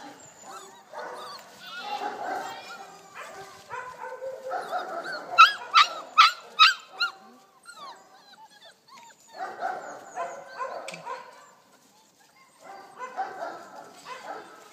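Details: Four-week-old Malinois puppies from a litter of eight, seven males and one female, born 9 October 2014, during their first outings outdoors at deworming time. High wavering whines and yips, a burst of four sharp yaps midway, a person talking.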